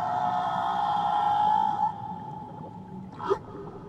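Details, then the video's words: Whale song recorded around Tahiti: a long, steady, mid-pitched moan with rich overtones holds for about two seconds, then fades, followed by a short rising sweep over a low watery background hiss. "Nature Sounds Only Whales & Beaches"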